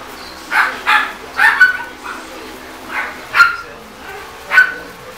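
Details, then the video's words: Griffon x Yorkshire Terrier puppies at play, giving short high yappy barks in clusters, about six sharp yips spread over five seconds with quiet gaps between, a faint whine early on. "Designer Griffon x Yorkie puppies playing"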